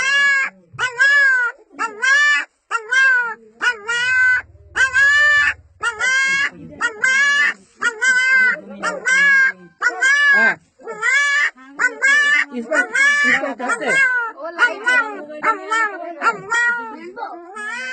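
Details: Puppy calling her mother with human-sounding vocalizations: a long series of quick, arched, whining yelps with strong harmonics, about one per second, growing more rapid and blended toward the end.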